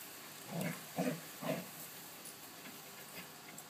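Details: A five-month-old Giant Schnauzer named Jett charging in and out of the house; three loud huffing, panting bursts about half a second apart in the first second and a half, then fainter softer breaths over a quiet background.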